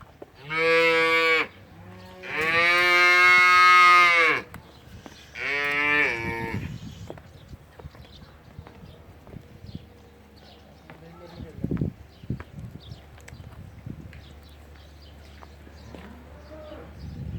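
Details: Young Simmental cattle offered for sale, giving three loud moos in the first six seconds. Two are short and one is longer and drawn out, all richly harmonic. Quieter shuffling, faint knocks and a low steady hum follow.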